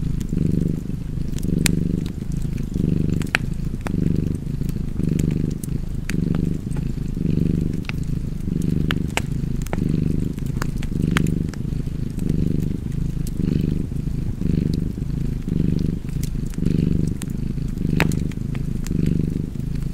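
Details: Cozy cat purr by a fire: a deep, even rumble rising and falling in regular breathing cycles near one per second for the full stretch, dotted with frequent crisp crackles from burning wood.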